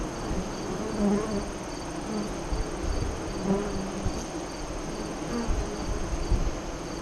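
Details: Honey bees at the westward-facing entrance of a hive 5 miles east of Lyons, Nebraska, during the 2017 eclipse, 2:48–3:00 CDT; a steady low droning hum with brief louder swells as bees pass close.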